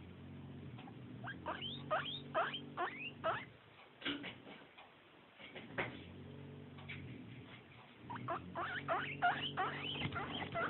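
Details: Pet guinea pig asking for snacks, giving loud rising whistled wheeks in quick bursts, several per second, with pauses between runs and soft low rumbling murmurs underneath.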